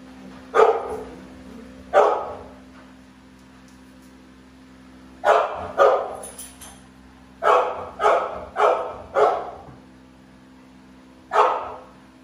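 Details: American Bully dogs, two present, giving deep, punchy barks in irregular bursts: two single barks, then a pair, a quick run of four, and one last bark after a gap, about nine in all.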